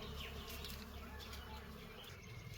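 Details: Dense, continuous buzzing of bees at a rainy-season honey harvest, a steady low hum with rustling and faint human voices.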